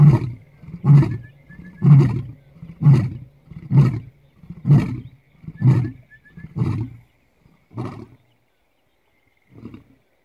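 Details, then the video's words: Roaring lion, Lalibela Game Reserve, South Africa: the closing sequence of a roar, about eight short deep grunts roughly one per second, fading and slowing toward the end. "Lion Roaring!"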